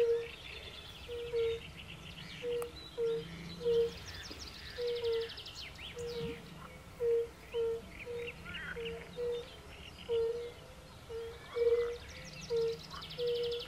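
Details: European fire-bellied toads hooting at a forest pond among pool frogs: gentle low notes repeating in pairs and singles, nearly once a second, with bursts of rattling, grating frog calls above.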